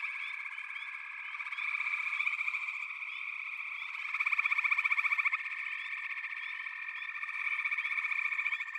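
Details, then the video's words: Massed frogs in full chorus: an unbroken, shrill trilling wall of sound, with a louder pulsed rattle standing out near the middle and softer chirps scattered on top. "FROGS - Pig Frogs, Water Frogs, Backwater Chorus, & Frog Chorus"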